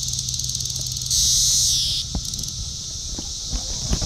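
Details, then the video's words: Cassin's periodical cicada of Brood IV in Shawnee Mission Park, Kansas, June 5, 2015, tymbal exposed by a defective wing; pulsing high buzz bursting into a loud sustained drone, then choppy buzzing with scattered clicks. "Magicicada cassini tymbal vibration (periodical cicada)"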